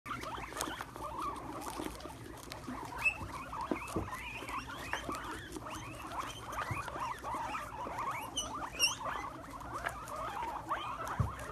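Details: Several pet guinea pigs chow down on Brussels sprouts: steady crunchy munching and pattering throughout, with many quick squeaky chirps and scattered sharp clicks over a low hum.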